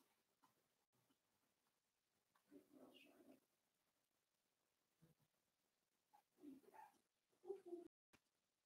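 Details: Daisy's Cavalier King Charles Spaniel puppies, four weeks old, penned indoors, give faint whimpering squeals in short bursts, the clearest near the end, with soft human talk and rustling in a small room.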